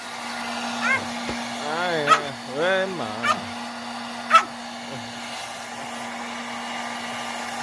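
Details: Dog after a shower, objecting to the hair dryer: drawn-out, wavering, rising-and-falling whining grumbles in several bursts, with a few sharper yips, over the steady hum of the dryer and a person's voice.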